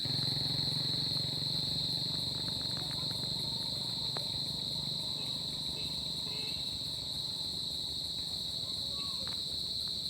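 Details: Crickets on a summer night, a steady high trill holding one pitch throughout, with faint higher pulsing overtones, scattered soft clicks and a low rumbling background.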